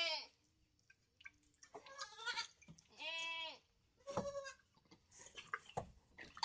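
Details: Several goat bleats, the longest one a drawn-out nasal wavering cry, mixed with short breathy sounds and background clatter.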